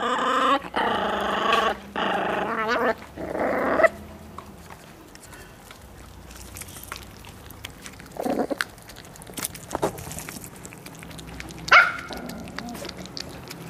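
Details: Eight- and six-week-old Miniature Pinscher pups turn fierce over meat, giving rough harmonic growls in several bursts during the first four seconds, then mostly quiet with a couple of short sounds and a sharp click.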